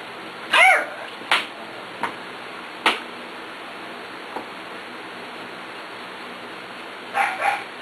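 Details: Playful six-week-old puppies from the Ellie and Little Man litter, with Beauty, a half-sibling sharing their father: a handful of brief, high yips spaced a second or so apart, a quiet gap, then two quick squeaky yelps to close.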